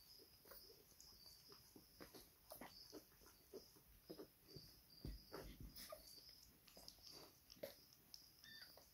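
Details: A Miniature Schnauzer puppy suckles from its mother for the first time, giving soft, brief squeaks and whimpers among quiet snuffling and suckling noises.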